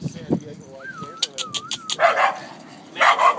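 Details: Terrier mix playing catch at Eureka Valley dog park: two short, rough barks about a second apart, after a person's voice and a drawn-out wavering whistled tone.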